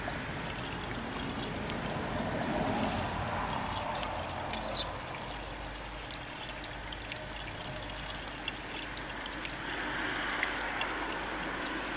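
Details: Only the steady rush and trickle of a stream is heard, with no clear animal voice.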